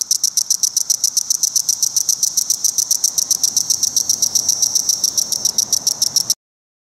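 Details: Male Magicicada cassini cicada singing court song at a roadside rest stop near Rhinebeck, New York, where cassini and decim cicadas crowded low trees. Sharp high ticks are repeated steadily, about four per second, for six seconds, then stop abruptly.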